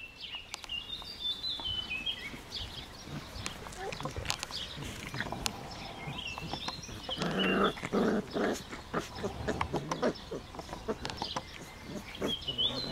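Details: Four-week-old Greater Swiss Mountain Dog puppies playing in a garden with their half sister; short, scattered yelps and rough growly bursts, busiest around the middle, with high chirping birds in the background throughout.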